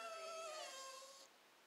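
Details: Happy Jack Russell Terrier, excited just before a walk; a single clear high-pitched whine lasting just over a second, steady then gently falling and fading out.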